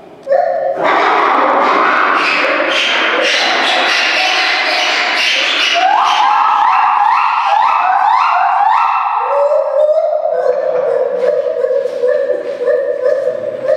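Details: Lar gibbons (white-handed gibbons) at a zoo give loud, pure whooping hoots that climb in quick rising series, ringing and musical.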